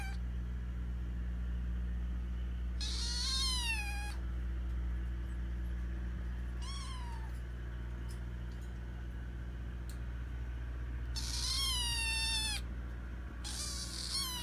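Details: A hungry rescued kitten begs for food with a run of loud, harmonic meows. Each call slides downward, and some are long and insistent while others are short. A strong low electrical hum runs throughout.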